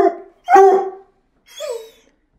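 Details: Luna, a female Bluetick Coonhound teased with her leash, gives three short, throaty howling bays, eager to go for a walk.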